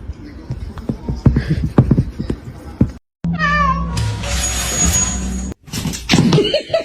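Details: Domestic cat in a funny cats-fighting compilation giving a short meow that slides downward in stepped harmonics, set among clattering household noise, a steady high whine and faint voices.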